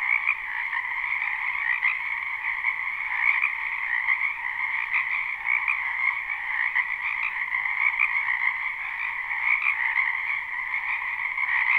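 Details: Live spring recording of frogs in a wetland behind a house: a loud, unbroken chorus of high trilled croaks, overlapping voices flickering within a constant buzzing band, no other sounds present.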